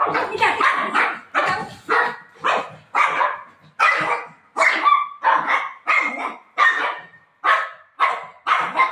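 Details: Golden Retriever playing with its owner indoors, barking in short, sharp, rough bursts, about thirteen barks in nine seconds at a fairly steady pace, with a few gaps between them.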